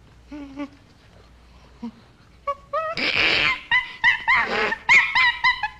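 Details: Common chimpanzee starting with a few soft, low grunting hoots, then building into loud, harsh screams and high wavering cries in quick succession toward the end.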